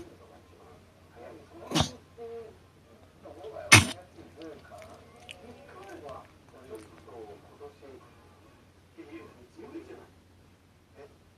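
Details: Chihuahua Hatchi indoors on the night of 1 January 2019, in a fit of choking and sneezing that has recurred since surgery: two sharp, explosive sneezes about two seconds apart, with quiet human speech and soft rustling between them.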